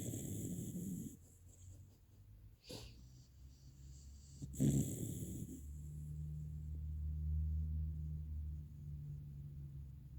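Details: Sleeping Shiba Inu snoring loudly indoors: low, rumbling breaths that settle into a steady droning snore in the second half, after a few louder snorts and rustles early on.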